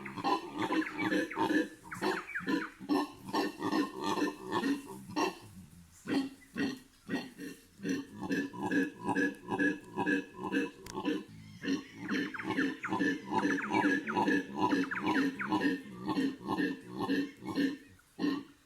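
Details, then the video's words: Morning chorus of howler monkeys in the Bolivian Amazon rainforest: a long, continuous run of rough, throaty roaring pulses, roughly two per second. There is a brief lull near the middle, then the calling swells again. "Howler Monkeys' voice in the Amazon Rainforest ホエザルの鳴き声"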